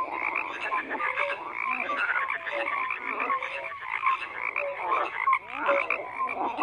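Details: Frogs croaking in a dense chorus, overlapping pulsed croaks and short tonal notes layered into a continuous wall of sound with no pauses, no other animals or voices.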